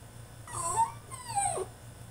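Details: French Bulldog in his cage throwing a tantrum, letting out two whining yelps in quick succession, each bending downward in pitch, the second longer and more strained, over a faint steady hum.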